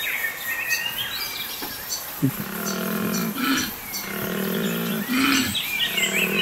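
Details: Wild koala on a sheep farm at Apollo Bay with replanted gullies and a river wildlife corridor, January 2022: deep rasping pulsed snoring bellows in repeated bursts, with whistling and chirping birds and steady background hiss throughout.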